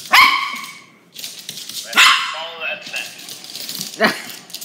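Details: Dog frightened by a toy dog barks three times, loud harsh single barks spaced about two seconds apart, with a person talking to it in between.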